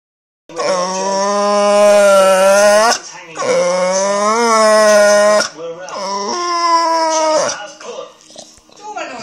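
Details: Rusty, a pet Staffordshire Bull Terrier, making weird noises: long, drawn-out, wavering howl-like whines in three sustained rich-toned phrases, the last one breaking up and tailing off into shorter yelping fragments.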